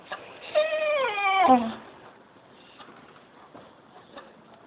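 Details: Pet dog filmed with a phone, singing: one drawn-out, harmonic howl that slides downward over about a second, then quiet room noise.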